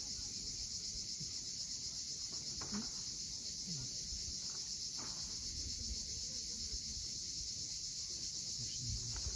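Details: Crimean cicadas at sunset above the steep shore of Cape Fiolent: an intense, steady high whine without pauses, with waves murmuring low and a few brief faint clicks.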